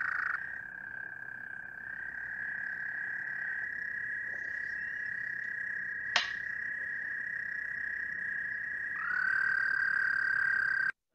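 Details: American toads in the Rouge River watershed wetlands, Michigan, calling from April, give long, steady, high musical trills, with a second toad joining at a slightly different pitch.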